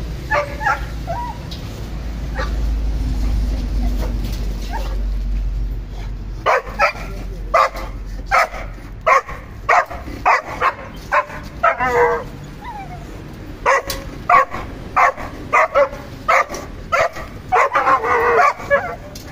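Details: German Shepherd and Boxer kept as pets, first a low rumbling background, then sharp barks repeated irregularly, several per second at times, with a few whimpering yips mixed in.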